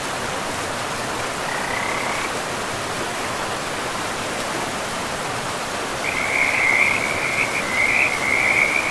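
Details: Frogs near a pristine forest river, a faint short trill early on, then a louder continuous rattling trill in the last few seconds, all over a broad, steady roar of running water.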